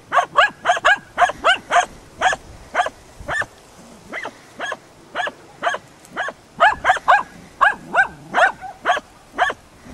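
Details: Baying at a dead deer by hunting dogs Prle and Pirana, Salas, 8 September 2012: rapid, insistent barking of nearly two barks per second, bursts of clustered yaps broken by short pauses and a few whining notes, outdoors.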